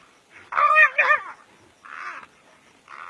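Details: Brown hyena in a fight with another brown hyena, African bush: one loud, wavering squeal with strong harmonics, followed by two shorter, harsher whining cries.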